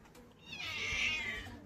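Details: Chomchom, a pet cat that has grown much bigger, lets out one thin, high-pitched meow lasting about a second, rising at the start and easing off toward the end, with faint low background hum.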